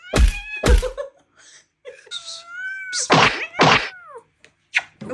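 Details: Domestic cat indoors in a small room defending its personal boundaries, scratching with its claws: sharp spitting hisses, then drawn-out wavering yowls that bend downward, with thumps and a person talking in Persian and laughing.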